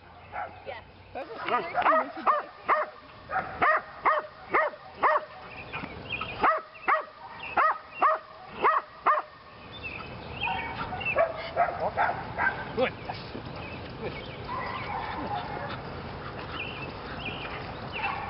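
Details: Lily the Belgian Malinois in PSA training on leg sleeves for the second time; a fast burst of repeated sharp barks over the first ten seconds, then fainter scattered yips mixed with noise and a voice.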